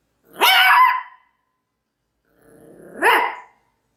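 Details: Maltese dog giving two drawn-out, whining barks with a tonal, slightly rising edge, about two seconds apart, in a quiet setting.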